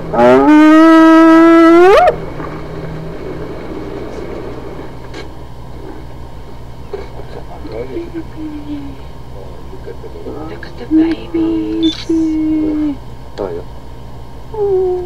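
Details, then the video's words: Hyena giving a loud, strongly harmonic call that sweeps upward in pitch over about two seconds. Quieter scattered sounds and a steady low hum follow for the rest of the recording. "Hyenas some vocalizations"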